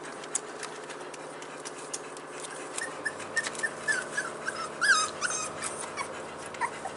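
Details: Four-week-old Staffordshire Bull Terrier puppies from a litter, filmed indoors on 19 March 2020, give thin, high squeaky whimpers and yips, scattered and brief, clustered mid-clip over a faint background hiss.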